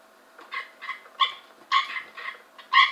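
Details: Cope's gray treefrogs caught from a pool in 2015 give short, harsh pulsed bursts, about six in three seconds, growing louder toward the end.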